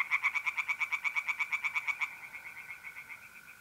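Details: Tree frogs calling at night from a pond in north-east Italy in mid-April: a loud series of quick, evenly spaced croaks for two seconds, fading into softer pulses over the steady trill of mole crickets.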